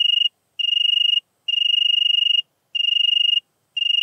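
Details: European tree cricket recorded in Venezia, Italy, on 2 September 2021: clear, pure, high trilled tones in sustained bursts of about half a second to one second, separated by short silent gaps, with no other sounds.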